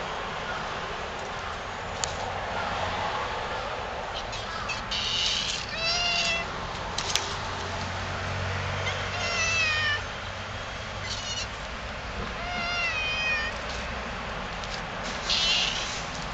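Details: Stray cats in a Yokohama park, Japan, approaching a person and talking; several clear, wavering meows with bending, rising-then-falling tones come in bursts through the recording over a steady low rumble of background traffic.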